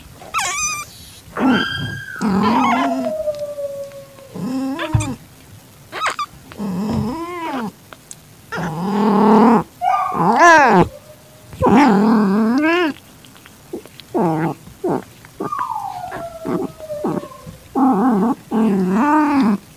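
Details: In-heat calitabby cat accepting a calico kitten, 6:30 PM, 8 September 2021. A long run of harmonic yowls and high mews, some sliding downward, repeated every second or two with short gaps between them.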